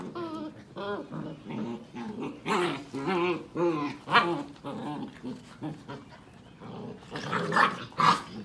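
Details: Seven-week-old Sheepadoodle puppies from two litters, visited by their mother: a busy tangle of overlapping whines, yelps and playful growls with wavering, rising-and-falling tones, several voices calling at once with barely a pause.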